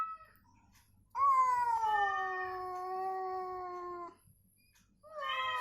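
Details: Cats answering each other, provoked with cat sounds while recovering to get them moving and calling; one long three-second meow slowly falling in pitch, then another rising call begins, with a faint low hum.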